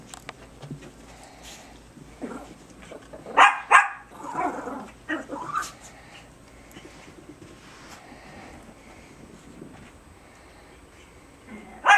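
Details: Harry and Isabelle, two Biewer Terriers, at tug of war with a hair accessory in March 2008; a few loud yips and throaty growls cluster in the first half, then long quiet stretches with faint rumbling and a final sharp bark.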